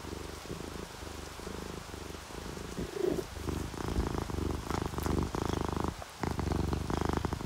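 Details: Sleeping orange tabby and calico cats purr while relaxed, paired with rain sounds: a steady low rumbling purr with soft breath-paced swells, a few brief louder pulses midway, under a faint hiss.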